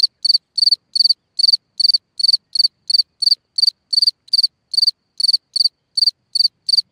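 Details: Night song of a cricket calling from a hole in the ground: a steady run of high pulsed chirps, roughly three per second, nearly twenty in a row, clean with no other noise.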